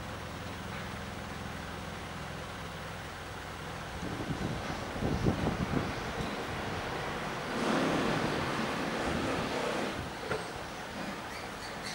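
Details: Gusty wind buffets the microphone outdoors, with a low rumble early on and louder rushing bursts later, and no animal voice is heard.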